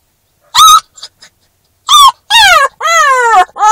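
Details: Newfoundland-Labrador mix puppy, new to its home, howling in a car because it dislikes separation from its people: a series of loud, harmonic cries, early ones short yelps, later ones longer howls that slide downward in pitch, closely repeated.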